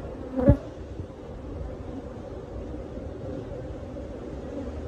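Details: Honey bees from a live hive built behind a cabinet, disturbed during removal: a steady, dense low hum with two droning bands, opening with a sharp knock or bump before the swarm's drone continues evenly.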